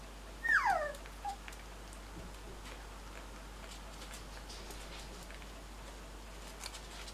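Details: Indoors, a pet spaniel complains to its owner with one sharp, high whine that slides steeply downward, then a brief faint squeak a moment later, before the room falls quiet.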